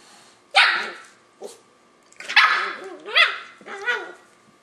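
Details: Löwchen pup, five months old, pestering a cat to play with a sharp opening bark, a small yip, then three bent, whining barks that rise and fall in pitch in close succession.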